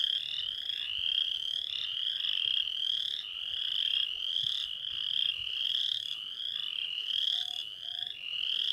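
Western chorus frogs calling in a dense chorus of rising, pulsed, creaky trills repeated about every second.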